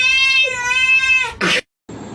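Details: Cat in a funny cat compilation giving one long, drawn-out meow of about 1.3 seconds, steady in pitch and rich in overtones, followed by a short, harsh noisy burst, a brief silence and faint background noise.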